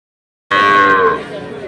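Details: Sahiwal bull calf at Ambari cattle market in Dinajpur, 6 November 2023: after half a second of silence, a single short moo with a rich harmonic tone that holds steady, then dips and fades, with faint crowd murmur beneath.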